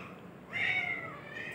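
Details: Male house cat, busy grooming and licking his body while being talked to indoors, answers with a single short, slightly falling meow over quiet room noise.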